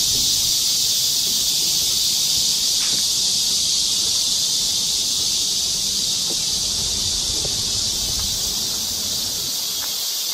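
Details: Midsummer cicada chorus in a Korean park forest trail during a July 2024 heatwave in the rainy season: an unbroken high, hissing buzz holding steady throughout, with a few faint clicks underneath.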